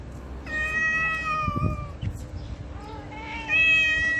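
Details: Stray cat in heat on a street in Morocco, sexually aroused, gives long drawn-out harmonic meows, a steady wail then a second rising, wavering call, with faint street noise between.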